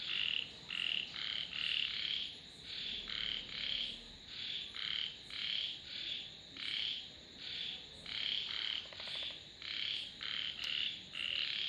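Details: Rhythmic chorus of frogs, rasping croaks pulsing about twice a second in an even, unbroken pattern with slight overlap between callers, plus a sharp click near the end.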